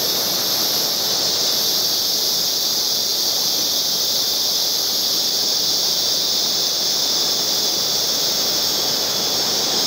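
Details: Background chorus of singing cicadas, a continuous high, hissing drone that never pauses, with faint shifts in its upper tone and nothing else clearly heard.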